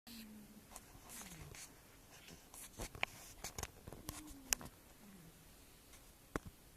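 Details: Ziggy Stardust, an 8-year-old tabby cat, snoring while asleep indoors: a cute, wheezy snore of faint whistled tones that slide downward, several breaths within a few seconds, with soft clicks and rustles in a quiet room.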